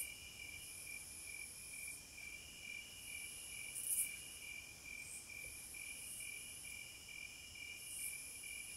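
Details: A continuous shrill chorus of cicadas in wild nature, layered whining tones holding steady while the highest band swells in short bursts every two to three seconds; quiet background with nothing else heard.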